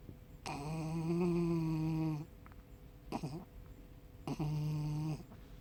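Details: Tucker, a male Yorkshire Terrier, asleep and snoring: long droning, nasal tones held about two seconds, then a short rough snort, then another sustained tonal snore, all in a quiet room.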